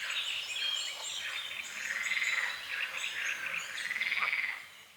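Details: At dawn on a small lake at the forest edge, frogs give rasping, pulsed croaks in two longer bouts, mixed with bright bird chirps and twittering through the foggy morning.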